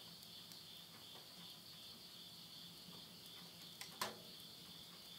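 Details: Insects calling at midnight in the Yurihama countryside of Tottori, Japan, at the end of summer in September 2020: a steady high shimmering chorus, with sparse crackles and a sharp pop from wood burning in a stove.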